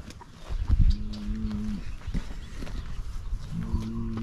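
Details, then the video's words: Farm herd of Highland cattle eagerly greeting fresh grass after weeks on hay, a new calf nearby. Two sustained, even low moos with rich harmonics, separated by thumps and rustling of the animals moving about. "Feeding Highland Cattle Fresh Grass - Excited Herd and Playful Calf"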